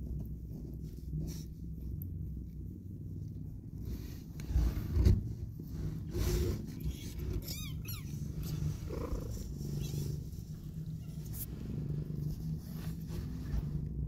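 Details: Mother cat nuzzling newborn kittens as they open their eyes. A deep, even purr drones throughout, with a few soft thumps and a short burst of high chirping sounds near the eight-second mark.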